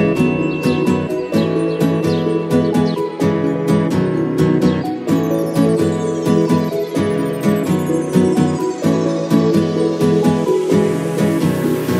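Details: Plucked acoustic guitar music plays throughout with steady strummed chords, and no animal sounds are heard.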